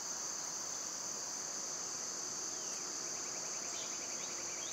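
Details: Continuous high, even insect drone from summer cicadas, with a faint bird slur and a short rapid chattering series of bird notes toward the end.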